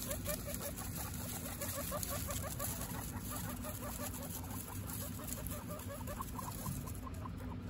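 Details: Pet guinea pigs, Butter and her three babies Lion, Tofu and Mochi, give a continuous stream of brief soft chut-like notes, rapid and fairly regular throughout, with constant low hum and faint patter behind.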